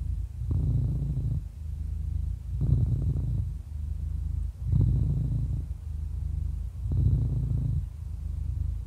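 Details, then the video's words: Deep continuous purring from a happy eleven-year-old cat, rising to a louder buzzing phase roughly every two seconds as it breathes, four strong swells in a quiet setting. "11 Years Old Happy Cat Purring"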